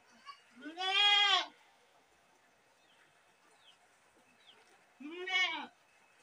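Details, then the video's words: A single goat lets out two harsh, nasal screams, a long one near the start and a shorter one five seconds later, separated by near silence with faint chirps. "Best goat sound in the world | goat sound | goat sounds | goat screaming"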